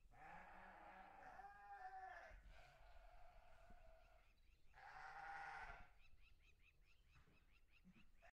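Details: Sheep on a farm bleating: two long, wavering, nasal calls with strong harmonics, the first lasting about two seconds and the second about one second, separated by a quieter stretch, with soft rustling and a faint background murmur throughout.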